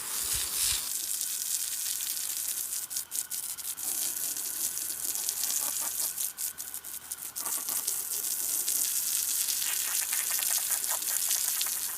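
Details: Steady high hiss like running water or sizzling, broken by faint crackles, with no animal calls.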